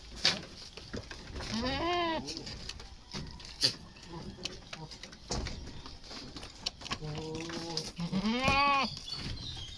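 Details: Goat bleating while being dewormed at weaning: a wavering, rising-then-falling bleat early on, then after a pause a steady held bleat running straight into another loud arched bleat, with handling noise and some voices around.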